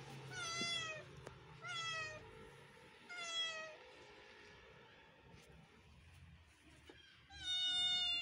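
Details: Kitten meows from a neighbouring kitten, heard while other kittens look on: three clear, slightly falling meows in quick succession, then a quiet pause with soft clicks before a final loud meow.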